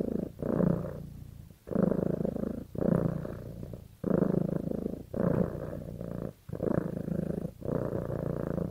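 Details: Pet cat bonded with its owner produces a strong, throaty purr in regular breathing cycles, around seven rumbling bursts with short gaps, steady and close in a quiet setting.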